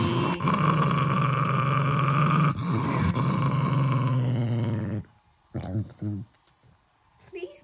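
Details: Jack Russell Terrier dog indoors guarding his stuffed toy monkey: a steady, deep, rumbling growl held for about five seconds with a pulsing texture, then quiet with a few faint soft sounds.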